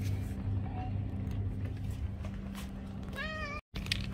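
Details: A domestic cat meows while asking for food; one clear rising-falling meow near the end after a faint earlier call, over steady low hum and background noise, with a brief dropout just after the meow.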